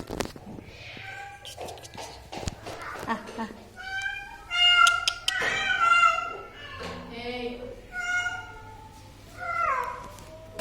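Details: Domestic cat meowing repeatedly amid indoor clatter, thumps and human voices. Its tonal cries come in uneven bursts, several rising then dropping in pitch.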